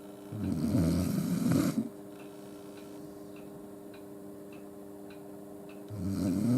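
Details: Akita Yuki sleeping in front of a warm stove with its owner during steady snowfall at night, snoring as loudly as a person; two deep, rasping snores about five seconds apart, quiet hum and faint clicks between them.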